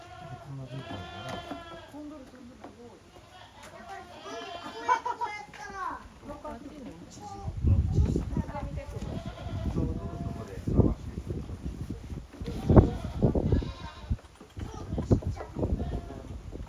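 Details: Goat kids playing hard in the exercise yard of a handmade goat farm, 30 April 2023. Several wavering, nasal bleats come early, then heavy low thumps and scuffling from the romping animals.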